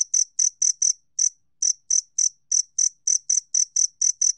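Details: Two-spotted cricket chirping: a clean, steady series of short, high, pulsed chirps, roughly four per second, with a few slightly longer pauses and no other sounds.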